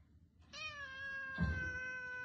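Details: Domestic cat indoors giving one long, drawn-out meow with a clear, steady harmonic tone, slightly falling toward the end, after a short quiet start.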